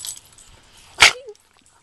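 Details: Adoptable miniature pinscher holding a stick in its mouth lets out one sharp, breathy snort, followed by a brief faint whistly tone, with soft talking just before.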